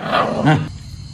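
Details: Two poor stray puppies living at a small cottage, rescued after a villager sent a message. Two short, rough, harmonic barks or yelps come in quick succession within a second, then fade into quiet background.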